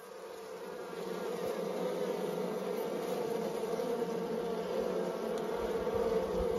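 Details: Western honey bees in a Nepali countryside village give a steady, droning hum, a continuous low buzz that swells slightly and never breaks.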